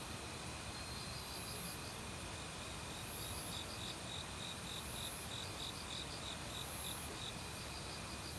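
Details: Forest cricket in autumn near a valley stream, among various other insects, its high chirps coming in loose runs, partly buried under broad, constant water noise and a faint high insect drone.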